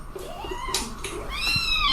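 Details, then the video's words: Domestic cat with a short, high, arching meow near the end, rising then falling, over indoor background noise and faint voices. "funny cats talking"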